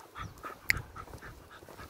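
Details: Patterdale Terrier, a fell terrier, out in high grass fields, panting in quick rhythmic breaths, roughly four short huffs per second, with one sharp click midway and faint outdoor background.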